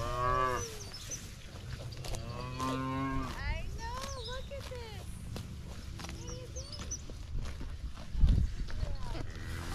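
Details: Highland cattle herd, fed fresh grass after a spell on hay, excited while a new calf runs about; several overlapping rich moos, some falling in pitch, one long drawn-out bellow mid-clip, with faint high bird chirps behind.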